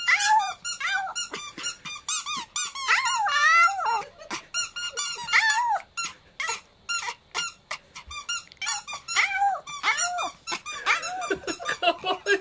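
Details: Chihuahua named Kohaku, a pet dog that suddenly begins to sing, surprising the family: high, squeaky, wavering yowls in quick bursts, sliding up and down in pitch, with short pauses between phrases over about twelve seconds.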